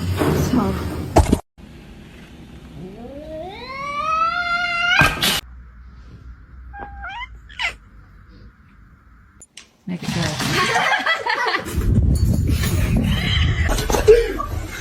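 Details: Kitten indoors giving one drawn-out meow of about two seconds that rises steadily in pitch. People talk just before and after it, with background music and a few brief clicks.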